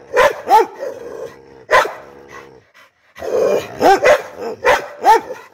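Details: American Pit Bull Terrier barking angrily: loud, harsh barks in short bursts, some paired, separated by brief pauses and followed by a growly tail, in a quiet setting.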